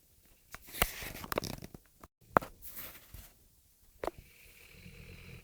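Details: Tia, a sleeping Rhodesian Ridgeback, snoring indoors: irregular raspy, noisy breaths in uneven bursts, with a few sharp clicks and rustles and a brief silent gap midway.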